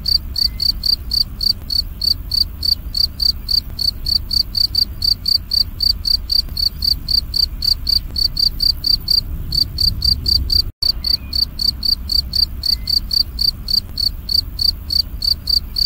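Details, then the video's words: A cricket chirps loudly and clearly in a long unbroken run of shrill, evenly timed pulses, about four each second, broken only by one instant of silence late on, with a faint low hum beneath. The recording is used to tutor songbirds. "Jangkrik Ngerik Berbunyi Nyaring & Jernih"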